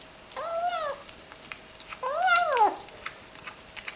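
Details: Small ginger kitten eating its meal indoors and clearly enjoying the food, giving two drawn-out mewing murmurs that rise and then sag, with faint clicks of chewing between them.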